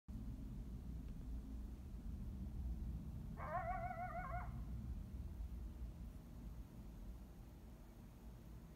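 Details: A lone coyote, seemingly calling others to convene, gives a brief, wavering, quavering howl over a steady low rumble, heard from a balcony by hole 11 of Desert Forest Golf Club in Carefree, Arizona.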